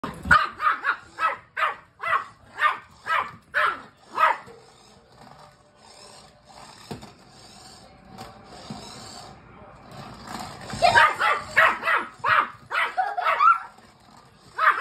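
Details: Young Rat Terrier pup barking at a remote-controlled rat it sees for the first time: a fast series of sharp, repeated barks, a pause with faint background noise, then another burst of rapid barking.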